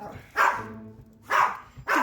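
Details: Two pet dogs fighting over a dog toy at home, three sharp barks spaced about a second apart, with a person's raised voice telling them to stop nearby.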